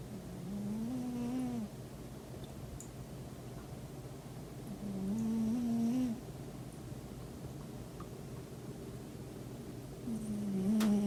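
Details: Pet cat asleep indoors on a weekend, snoring in three low, nasal, humming breaths, each about a second long and roughly four to five seconds apart, with faint soft clicks in an otherwise quiet room.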